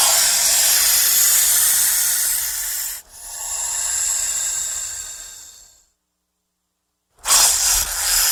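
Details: Frightened or threatened snake hissing in long, forceful exhalations of high, whooshing air, one cutting off abruptly before another tapers slowly, then a short silence and a fresh loud hiss.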